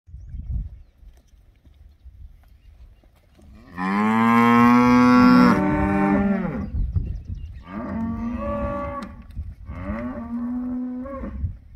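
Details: Bonsmara cattle at an auction in Roedtan on 21 October 2022: one long, loud, low moo lasting about three seconds, followed by two shorter, quieter moos over faint background rumble.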